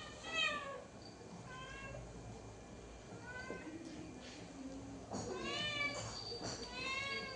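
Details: Cat meowing repeatedly, about seven high, slightly rising-then-falling mews spread over seven seconds, several in quick succession near the end, with a soft hum and faint voices behind.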